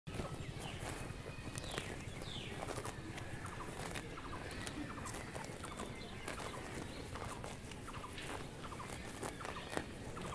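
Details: Cows graze on grass, with steady crunching and tearing of grass and soft clicks under a low rumble.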